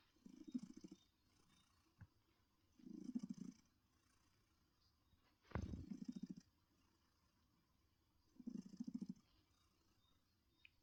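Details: Low buzzing purr bursts from Heartie, a gentle female cat adopted in 2022, resting in her comfy chair, return about every two and a half seconds; one short knock and a soft thud break the rhythm.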